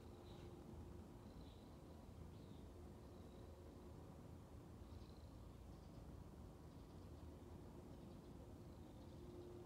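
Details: A 6-month-old male tuxedo kitten, described as a Persian mix, purrs in a low, steady, continuous rumble while kneading; Munchkin cat.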